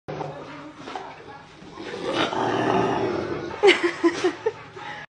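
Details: A male Rottweiler, arguing with his little brother, growls in a low, rumbling stretch, then gives a few short, sharp barks.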